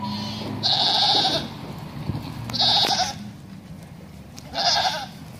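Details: Herd of 19 Bishi goats calling. Three strong, quavering, nasal bleats with uneven gaps between them, the first the longest, over a low background hum.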